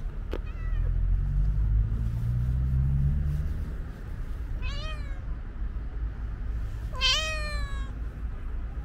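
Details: Stray calico cat with white paws, with her feline friends at feeding time, lets out two clear, harmonic meows a couple of seconds apart, the second louder and drawn out, against a low rumbling outdoor hum.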